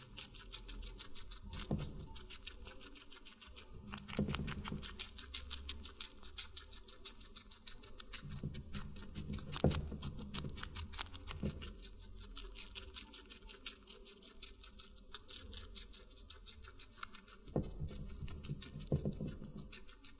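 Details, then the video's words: Watermelon being eaten by a guinea pig, with long stretches of steady, fine crunching and smacking, broken by several louder juicy bite bursts spaced a few seconds apart, over a soft low rumble. "Guinea Pig Eating Water Melon"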